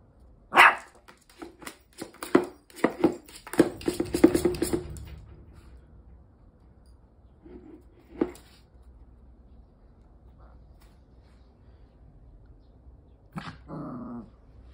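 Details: Pomeranian-Chihuahua cross dog, a playful toy thief filmed in Osaka, Japan, gives a rapid burst of sharp yapping barks over the first five seconds, then falls mostly quiet, with one lone bark later and a brief rustle near the end.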